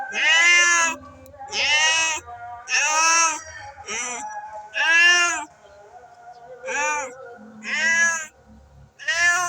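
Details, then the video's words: Cats facing each other and wanting to fight: about eight drawn-out, wavering, high-pitched yowls, each lasting about a second and rising then falling, traded back and forth with short pauses between. "the sound of cats wanting to fight the sound of w cats facing each other"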